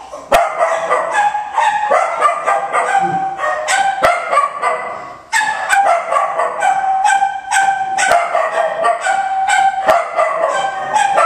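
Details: Australian Shepherd dog at a shelter awaiting adoption, barking loudly and almost nonstop in quick bursts of sharp, ringing yaps, with brief pauses and a few sharp clacks between runs.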